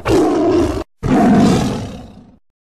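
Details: Tiger (Panthera tigris), roar.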